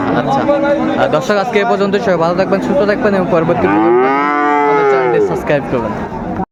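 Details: Busy chatter at Ambari Haat livestock market, Dinajpur, 22 April 2024, gives way to a single arching moo from cattle, rising then falling over about one and a half seconds.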